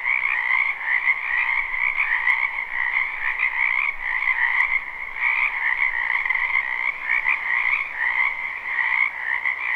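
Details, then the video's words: A springtime wetland full of croaking frogs, recorded live: a thick, continuous wall of rapid, rattling trills that swell and dip slightly, two layered pitches running without a break, with a faint click or two. "Ambient Noise for Sleep Frogs"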